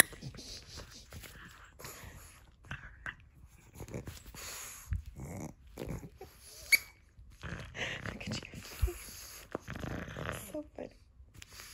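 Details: Pug named Nova, a female playing with her crinkle toy: wheezy heavy breathing and wet mouth sounds, interrupted by sharp crinkling rustles and movement noises throughout.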